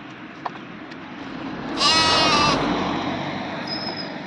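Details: Goat crossing a road gives one loud, wavering, nasal bleat lasting under a second. A steady traffic rumble runs underneath, with faint clicks before the call.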